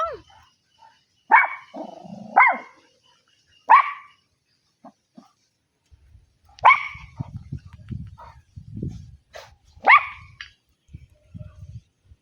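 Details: Domestic dog giving sharp, short barks, three in quick succession, then a pause and two more a few seconds apart, with quiet low rustling and thumping between them.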